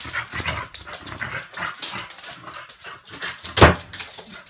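A Chow Chow gives low grumbling whines and a single sharp bark.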